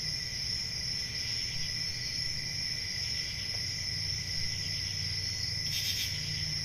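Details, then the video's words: Summer-night forest crickets keep up an unbroken shrill trill on layered high pitches, with a single short burst of louder rasping near the end and a faint low rumble beneath. "10 Hours Relaxing Cricket Sounds For Sleep Ambient Summer Night"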